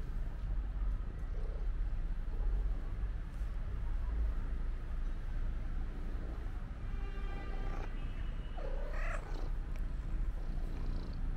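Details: Stray black-and-white cat greeting the person who feeds it, giving a couple of bending, drawn-out meows late in the recording against a constant low street hum.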